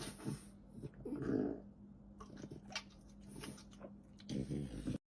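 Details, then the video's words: French Bulldog at its food, smacking chews and a short low burp-like rumble near the start, followed by quieter licking and a final burst of wet chomping before the sound cuts off. "Dog eating sounds & funny burps!"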